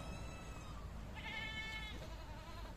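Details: Baki, a newly acquired Boer goat breeding buck on a farm, gives a single strained, quavering bleat of under a second, rich in harmonics, over steady low background hum.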